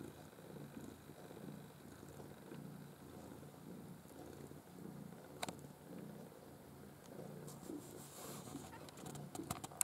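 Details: Low rhythmic purr from Maine Coon kittens of a bred litter of five, black white and blue white, born 6 August 2015; soft rumbling pulses rise and fall steadily, with brief rustles and sharp clicks toward the end.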